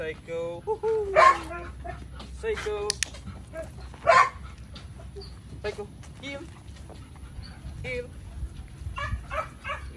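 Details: Belgian Malinois dog giving a few short, loud yelping barks, clustered near the start and again around four seconds, with softer whines between them and human speech throughout.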